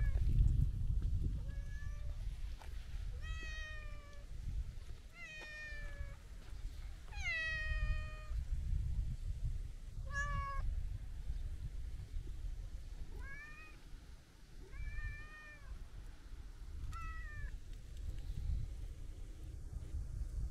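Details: Talkative long-haired brown tabby-and-white stray cat at the seaside, meowing in quick bursts while petted: a cluster of rising-then-falling meows early, softer short calls later, over constant low wind rumble.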